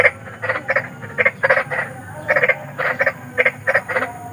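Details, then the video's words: Night chorus of big frogs in nature: clipped, nasal croaks delivered in pairs and triplets, about twelve in four seconds, over faint low background noise. "SUARA KODOK || KODOK BESAR || SUARA KODOK SERAM"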